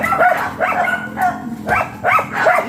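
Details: Labrador Retriever at a roadside stud session in Dagupan City, Pangasinan, giving quick, loud, rising-and-falling whining yelps in close bursts, about two or three per second, over a constant low background hum.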